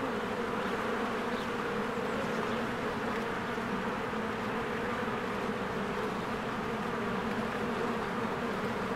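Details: A springtime beehive with swarms of honeybees working and flying around the entrance. The even, unbroken buzzing hum stays level throughout, thick and low, with no other clear sounds.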